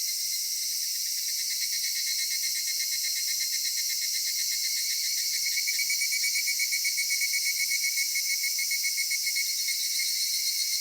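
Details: Cicadas singing on a summer evening in a cedar forest in Japan, a dense continuous high-pitched buzzing drone with steady pulsing texture throughout, no other clear sounds.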